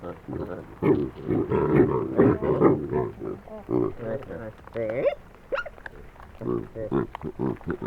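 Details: Troop of wild Hamadryas baboons in northern Ethiopia, squabbling loudly while eating grain stolen from a passing truck, recorded close up on a Sony PCM D100; dense overlapping grunts, barks and wavering human-like vocal calls from many animals.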